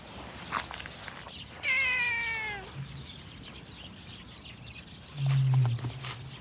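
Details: Stray street cat: a single clear meow lasting about a second, falling slightly in pitch, over a quiet background with a low hum and faint thumps.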